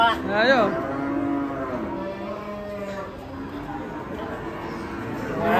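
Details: Raging, agitated cattle: a loud rising-and-falling moo opens, followed by long, low, steady drawn-out bellows over a murky barnyard background.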